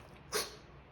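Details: A pug told to wait before its meal gives one sharp, explosive sneeze, a brief hissing burst of breath.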